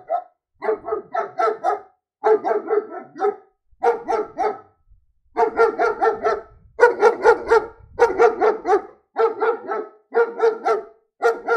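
A German Shepherd barks in quick runs of three to five deep, harsh woofs with brief pauses between.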